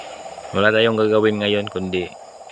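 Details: Nighttime frog near a house giving one long, low, droning nasal croak of about a second, then a shorter one, with a constant insect buzz underneath.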